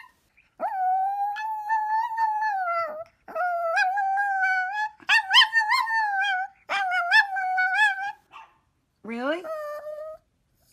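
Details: Chihuahua named Minnie, dressed in a costume indoors, giving drawn-out whining howls with a wavering pitch, a few seconds each and separated by short pauses, while a person coaxes her to come here.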